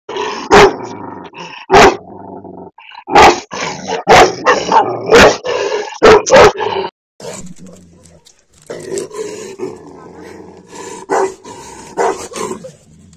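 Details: A big, aggressive Tibetan mastiff getting angry gives deep, harsh barks roughly once a second, then breaks into a continuous rough growling rumble with a few barks mixed in.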